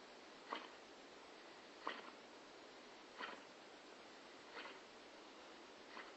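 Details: A sleeping female Staffordshire Bull Terrier snores loudly enough to wake the two other dogs, each breathy rasp returning about every second and a half.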